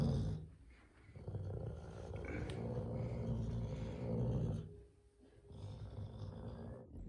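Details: Caracal named Alaska, a grumpy cat playing with a carpet indoors, gives a low, rough, rumbling growl that swells and fades in long breaths, pausing near the middle before resuming.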